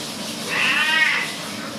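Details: Dirty house cat getting a double wash in the bathroom, letting out one long, wavering meow of under a second, steady then fading. Running water and a faint hiss of splashing underneath.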